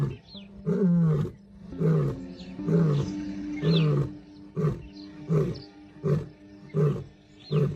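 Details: Lion in Timbavati Private Nature Reserve, South Africa, January 2025. A series of deep, grunting pulses repeats roughly every three-quarters of a second, about nine in all. Steady background music plays underneath.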